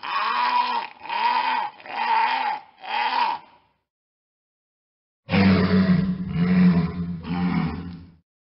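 A walrus gives deep, hoarse bellows, each under a second long, in two quick runs.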